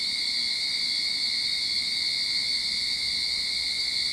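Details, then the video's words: At the start of summer in a Sydney backyard, cicadas keep up a constant piercing buzz, level and unvarying across the short stretch. "Cicada Sound to Calm your Mind"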